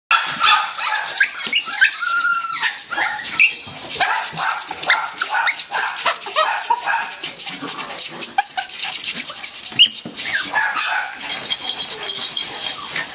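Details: SilkyTon and HavaTzu puppies in Central Pennsylvania yipping and whining together, a chorus of high, thin, overlapping squeals and short yelps with rising and falling pitch, steady throughout with no other sounds standing out.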